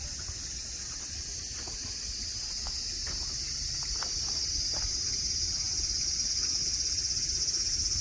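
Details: Steady shrill cicada song at Nara Park, Japan, beside tame deer under blue sky, the hissing drone growing gradually louder across the clip, with a few soft clicks.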